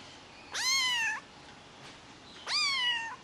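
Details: Two clear, insistent meows from a white Highland Lynx kitten, a rare lynx hybrid; each rises sharply, holds steady for about half a second, and they come two seconds apart.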